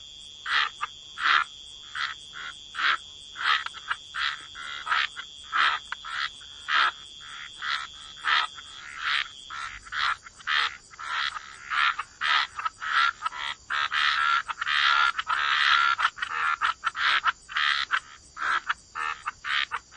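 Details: A gentle chorus of frogs by wetland water: quick raspy croaks in irregular runs, callers overlapping and thickening midway, over a constant thin high tone.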